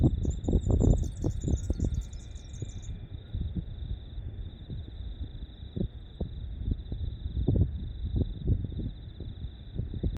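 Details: A cricket trills steadily on one high pitch throughout at dawn at Mackenzie's Point Lookout on 6 December 2020. A bird adds a quick twittering trill at the start, over rumbling wind and low thumps.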